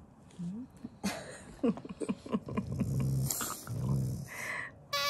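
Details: Shiba Inu growling while eating, an affectionate sound rather than an angry one: low, rumbling growls in two sustained bursts near the end, with clicks and chewing noises before and a person speaking softly.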